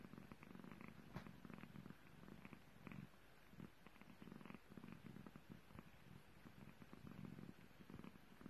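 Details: Purring British Longhair kitten licking a finger, the low continuous rumble rising and falling in gentle rhythmic waves, with small clicky licking noises on top in a quiet room.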